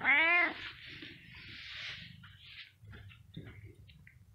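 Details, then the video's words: A cat opens with a loud, harmonic-rich meow lasting half a second, followed by breathy hissing-like rustle and faint clicks, while a person repeatedly asks in Spanish what happened. "Che vuoi? Meow | What do you want? Meow"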